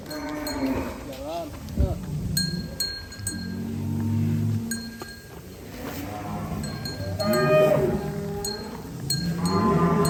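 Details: Cattle in a large barn housing about a thousand cows, Indonesia, with heavy bulls of around one ton; several low drawn-out moos overlap one another, mixed with people talking, clinking metal and background music.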